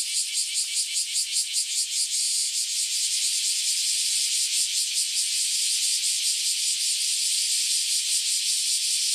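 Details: Cicadas newly emerged after about ten years underground, singing in a loud mass chorus before flying off; dense buzzing hiss high in pitch, pulsing in rapid waves about two or three times a second, no other sounds.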